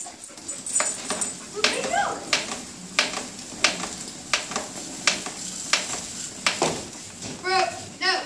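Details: Playing together, a German Shepherd puppy and a wheaten Terrier give brief high yips, clustered near the end, over a steady run of sharp clicks and taps about every second, with a person talking.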